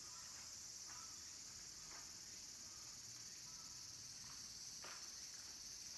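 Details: Cicadas, minmin cicadas and tsukutsukuboshi, at a mountain temple in Takatsuki, Japan, as summer ends: an unbroken high, hissing buzz filling the air, with faint taps and clicks beneath it.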